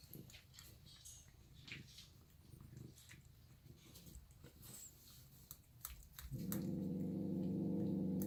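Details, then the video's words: Growling over her food, the cat Reina Meana starts a loud, throaty, evenly pulsing rumble about six seconds in and holds it to the end, after quieter crunching and clicking sounds. "Reina Meana the Growly Eater Cat"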